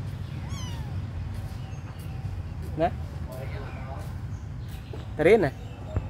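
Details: Little abandoned kittens, friendly and playing, give two short high mews, a brief one near the third second and a louder wavering one near the end, over a steady low rumble with faint human voices in the background.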